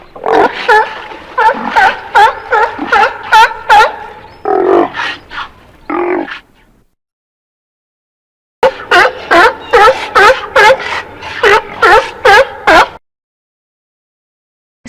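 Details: Seal barking in rapid, harsh, harmonic bursts, about two to three per second, in two runs separated by a few seconds of silence.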